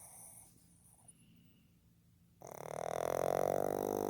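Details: Sleeping male pug Fukuzo, born 15 July 2020, breathes softly at first, then breaks into a loud, sustained, rattling snore that swells and holds for almost two seconds.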